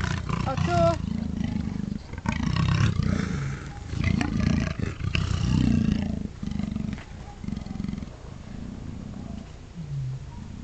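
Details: Two Amur leopards snarling intimidatingly: a short higher whine-like note opens, followed by repeated deep rasping growl bursts, loud and rhythmic, easing off toward the end.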